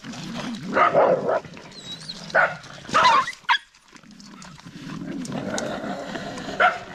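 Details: Dog giving a few scattered barks, at about one second, two and a half, three and three and a half seconds, then one more near the end, over a steady low background rumble.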